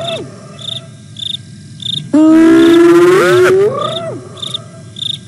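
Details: Spotted over a steady cricket pulse, a hyena at the Nkorho camera in the fenceless Sabi Sands Reserve beside Kruger, South Africa, on 08 09 2022, gives one loud, rich whoop that climbs slowly in pitch for over a second.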